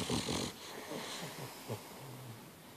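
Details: Binkie, a Boston Terrier, sleeping soundly in bed indoors, snoring with low rumbling, snorting breaths, a brief louder snort near the end and a short steady drone before quiet breathing.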